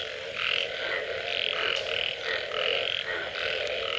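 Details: Frogs after rain giving short, harsh croaks in rapid succession, some bursts nearly back to back, a few faint clicks, with a continuous chorus hum beneath.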